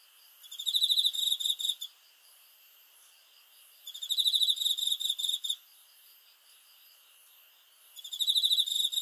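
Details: Night cricket chirping: loud, high trilled bursts of fast pulses, three in a row about four seconds apart, each lasting around one and a half seconds.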